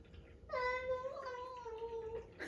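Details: A domestic cat making a strange sound: one long, drawn-out, steady tonal wail lasting nearly two seconds, dipping slightly in pitch toward the end.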